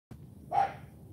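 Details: Charme, an AKC Cane Corso puppy and champion, during morning training, being taught to bark, lets out one short, sharp bark over a steady low hum, with a trainer's commands just around it.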